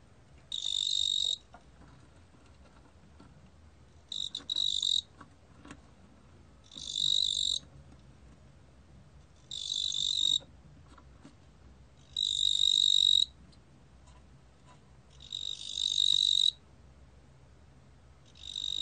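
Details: 뚱보귀뚜라미 cricket giving a high, thin, continuous trilling chirr in bursts of about one second, repeated roughly every two to three seconds, with quiet pauses between.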